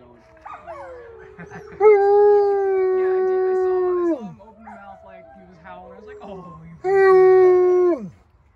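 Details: A group of wolfdogs at a New Jersey farm joins a guide's howl. Overlapping wavering voices build into two long, level, sustained howls that each fade downward, with quieter yips and broken howls between them.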